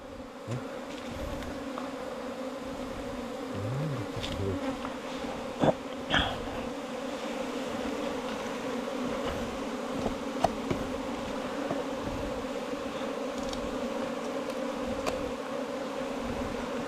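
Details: Steady collective humming of bees nesting in a long bamboo stem, a continuous low drone with layered even tones, broken by occasional knocks and clicks and a few brief low sounds early on.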